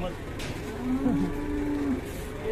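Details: Cow with a broken leg, kept in a cattle shed on an Indonesian farm, gives a steady, level moo lasting about a second and a half. Faint background noise surrounds the call.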